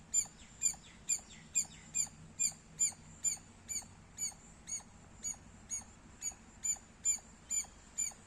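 A squirrel gives sharp, high chirps repeated steadily about twice a second.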